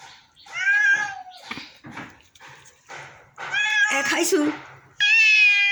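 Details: A sick pet cat meows loudly and repeatedly. Tonal, slightly falling cries open the recording, and a strong, steady meow ends it. A person speaks between the calls indoors.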